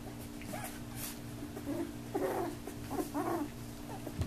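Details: Young puppies of Lisa and Thriller at play, biting and barking; brief squeaky yips and small growly bursts, a few in quick succession, over a constant low hum.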